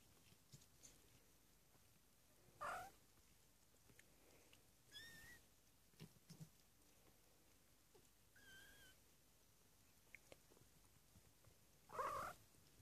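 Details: Three-week-old foster kittens indoors, just finding their feet and each other, give about four short, high, thin mews at irregular intervals, some with a slight wavering pitch, over quiet rustling and soft movement sounds.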